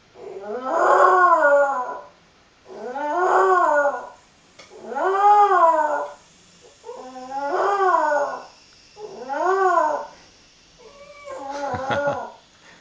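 Young Jack Russell Terriers give a series of drawn-out, quavering howls, each rising then sagging in pitch over roughly a second and a half. The cries repeat at a steady pace, ending with a shorter, choppier yelp.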